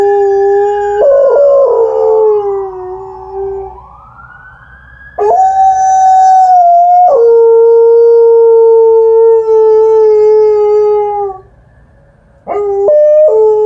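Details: Alaskan Malamute Liza howling in response to a nearby ambulance siren: after the wailing siren fades, long level howls rise in, one held about six seconds, then a short pause and a fresh howl starting at the end.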